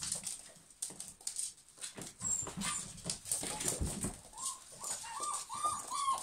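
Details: German Pinschers: after muffled shuffling and thumps, short high whining whimpers rise and fall in quick succession near the end, several overlapping, with scratchy background noise.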